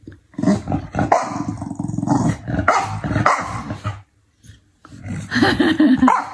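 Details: Chow Chow dog growling steadily with harsh, throaty rumbles that rise into sharper bark-like yelps, a short silence near the fourth second, then renewed gruff growling.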